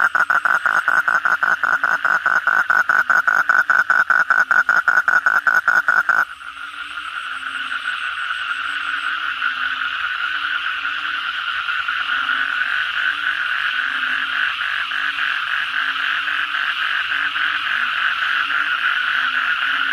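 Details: Frogs (kodok bangkong) calling at night after heavy rain: a rapid train of sharp pulsed croaks about twice per second for six seconds, then a denser, continuous overlapping chorus of many frogs.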